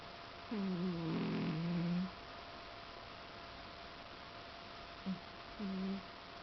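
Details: A sleeping domestic cat snoring indoors, with two low, drawn-out nasal snores about a second and a half long and a brief snort between them, heard over a steady background hiss.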